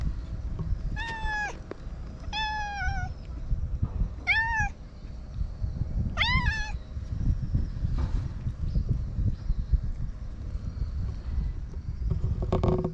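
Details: Community stray cat meowing four times over steady low outdoor rumble, calls spaced roughly every one to two seconds, each a clear nasal meow with a slight rise then fall; faint scuffing noises follow, captured with a GoPro.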